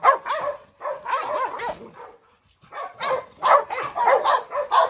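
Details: Brindle Presa Canario female, Rottweiler Pirate and a Staffordshire terrier in a courtyard. Raspy barks in quick clusters, a silent gap of about half a second, then another burst of fast barking.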